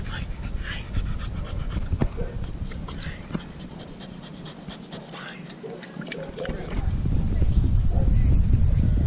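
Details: An American Staffordshire Terrier up for adoption pants rapidly and steadily, about three to four breaths per second, with a few faint whimpers and a person talking in the background.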